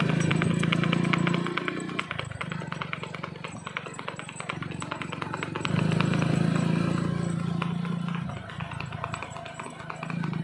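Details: Kathiyawadi mare moving in the revaal gait at Bambhaniya, India; rapid, even hoofbeats about four per second, over a low droning hum that swells and fades, with voices heard.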